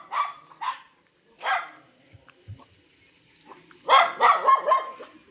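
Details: Dog barking on a morning walk in Telugu-speaking India, where a mother dog and her puppies roam the path together. Two quick barks, a lone bark, then a dense burst of overlapping barks near the end.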